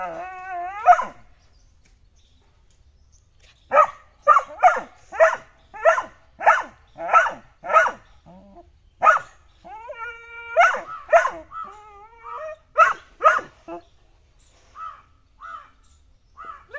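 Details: A red-nose American pit bull puppy gives a run of high, yappy barks with a few whiny yelps between them.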